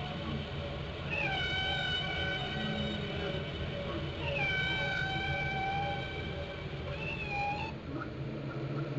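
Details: Whale song captured underwater in Glacier Bay, Alaska: two sustained, slightly rising tonal calls, each lasting about three seconds and full of overtones, then a shorter call, set against a dense low background rumble.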